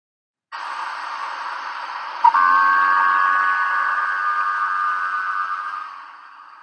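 A minke whale gives a long, steady, metallic twanging tone, like a humming lightsaber, over hissing ocean noise.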